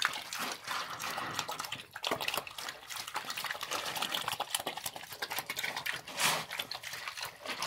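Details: A pig on a working farm eats slop, slurping and smacking noisily with constant sloppy chewing and splashing.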